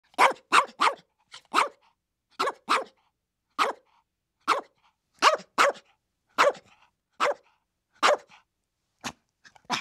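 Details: Chihuahuas barking and yapping, a fast run of sharp high yips in irregular bursts, some doubled or tripled, over about ten seconds with silence between.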